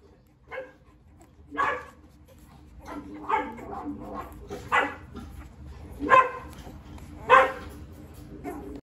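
Rottweiler puppies give short, high yips and barks at irregular intervals, with some human speech.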